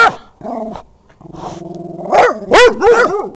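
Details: Dogs vocalising up close: a short low growl, a rumbling buzzy growl, then higher wavering whines and yelps that rise and fall in pitch.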